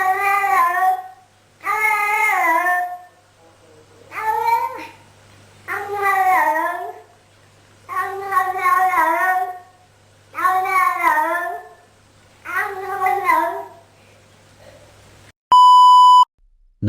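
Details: Talking cat giving a run of about eight arched, wavering meows, each roughly a second long with brief gaps, ending in an electronic beep and an abrupt cut.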